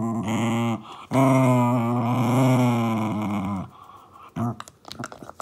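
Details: Indoors, female Shiba Inu Momisan, aged 2 years 7 months, plays at being a fierce beast. She gives a low, sustained, buzzing growl lasting over two seconds, then a shorter rumble. Faint clicks and rustling follow.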